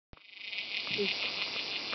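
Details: A forest cicada gives a loud, steady, high-pitched buzzing drone that starts abruptly and holds without pause.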